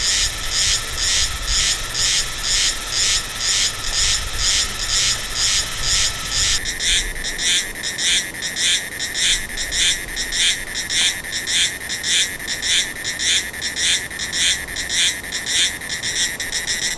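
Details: A Meimuna cicada in Taiwan, recorded in November–December, sings a loud, high, buzzy duck-like quacking pulse in regular rhythm about twice a second, its pace varying between slow and hurried.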